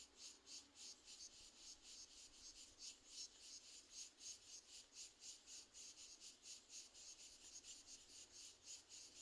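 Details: Crickets singing, a high, fast pulsing chirp repeated steadily around three to four times per second, with a constant faint hiss underneath.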